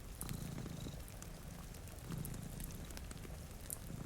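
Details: Low, steady purring from cats asleep beside a rain-streaked window, a continuous rumble under patter of raindrops and scattered crackling from a nearby fire.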